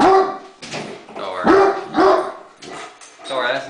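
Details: Domestic Great Dane upset by a remote control helicopter, giving three quick deep barks with a rising edge, while a person talks over them, praising and calming the dog.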